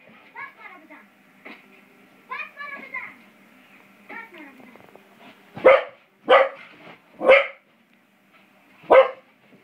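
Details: Beau, an English Springer Spaniel puppy aged five months, plays with a door spring. Quiet human talk opens the recording, then four loud, sharp barks follow about a second apart.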